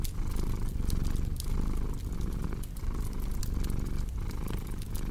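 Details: Close, rumbling cat purr with clear rhythmic pulses, inhale and exhale alternating about once a second, accompanied by faint fireplace crackles.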